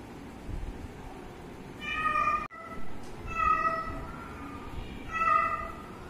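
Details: Cat and kitten at play and drinking milk; three drawn-out, harmonic meows, each about a second long, at roughly 1.5-second intervals, with a faint hum of background noise beneath.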